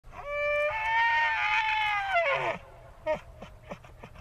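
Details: Elk bellowing in a forest: one drawn-out tonal cry of about two seconds that rises, holds strong and bright, then drops away, followed by a few faint short grunting notes.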